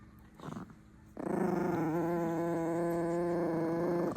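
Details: Chihuahuas angered while eating: after a short faint sound, one long steady low growl with a rich tonal buzz holds for about three seconds, wavering slightly in pitch.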